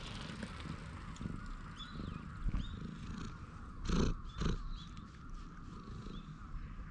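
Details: Purring of a stray cat lounging on a bench as it is petted, recorded outdoors with a GoPro HERO8: a low, rough, continuous rumble with louder bursts near four seconds, while thin swooping bird chirps sound in the distance.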